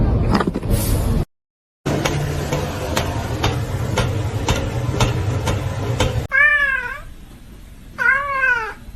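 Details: Domestic cat giving two clear arched meows, each rising then falling and under a second long, about a second apart, after several seconds of low rumbling background noise with faint regular ticking.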